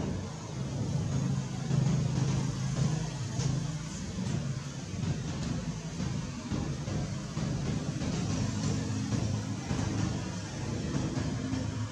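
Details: Dense low traffic rumble blends with background music across the whole recording, with no animal call distinguishable.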